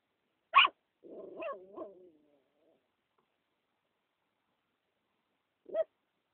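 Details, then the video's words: Puppy named Bear barking as a baby: a sharp high yap, then a longer wavering whine-like bark trailing off, and after a pause one more short yap; otherwise quiet. "Bear bear barking so cute when he was a baby"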